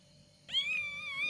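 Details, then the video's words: Cat in India with newborn kittens, filmed while feeding them: a single high, thin, drawn-out meow with a steady, slightly wavering tone starting halfway through, preceded by quiet room sound. "new born kitten voice | cat giving birth of kitten | cat voice | cat feeding her kittens."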